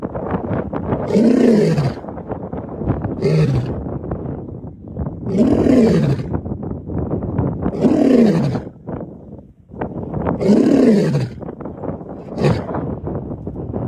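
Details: Lion roaring, deep heavy bursts that rise then fall in pitch, five main roars spaced about two to two and a half seconds apart with shorter grunting sounds between, rough and breathy throughout.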